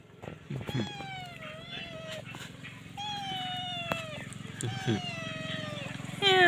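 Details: Stray domestic kittens with mother cat meow in drawn-out level and slightly falling cries, about four across the stretch, over a persistent low engine-like hum and some voices.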